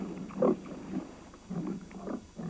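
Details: Wild boar in the jungle, where a leopard stalks pigs as prey, give short, low, rough grunts in irregular bursts.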